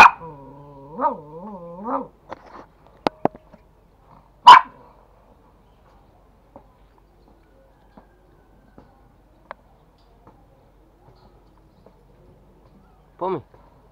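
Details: Toy Pomeranians at home in Kathmandu, Nepal, squabbling over a bone: a rising and falling wavering whine, a sharp single bark, then scattered clicks and quiet before a final short yelp.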